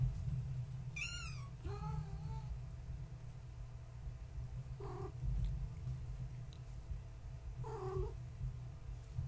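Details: Tabby mother Gaia with her kittens born March 14, 2017, indoors at bedtime; a single high kitten mew near one second, then lower soft mews and short chirps spread through the clip over a steady low hum.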